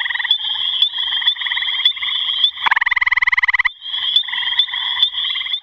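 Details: Gray tree frog calling, one strong pulsed trill of about a second rising above a constant high-pitched ringing chorus of other callers that fills the whole recording.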